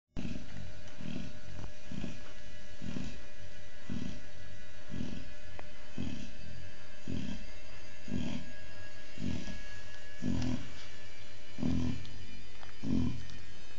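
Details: Chow Chow mother Oliwka with her always-hungry puppies; low, soft grunting pulses repeat roughly once per second throughout, over a steady background hum.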